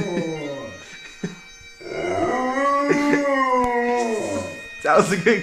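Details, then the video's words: Pet dog howling along to bagpipes playing Amazing Grace: long, wavering, tonal howls that rise and fall with the tune, mixed with the droning pipes and men laughing and talking. "howling to Amazing Grace"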